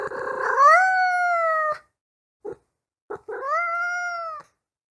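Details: Kitten meowing: two long rising-then-level meows separated by a pause, with two tiny clipped mews in between; clean, quiet background.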